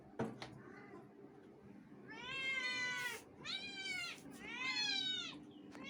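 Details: Pet cats Curie and Tittu call indoors in three long, rich meows in quick succession, each rising then sliding down, after a faint opening mew and a sharp knock.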